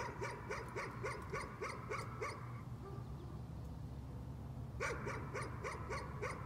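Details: Repeated nuisance barking by a dog: a fast string of short, sharp barks, then a brief lull, then another rapid volley, all over a continuous low mechanical hum.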